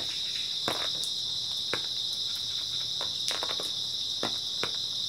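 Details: High, even ringing of grass insects at night in early autumn, steady from start to finish, overlaid by a few loud crackling pops and clustered clicks.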